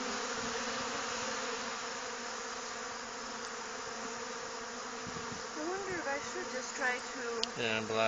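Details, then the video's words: Robbing honey bees crowd between hives during a nectar dearth, making a continuous, droning buzz for most of the stretch; human voices break in toward the end over the swarm's hum. "honey bee hive robbing"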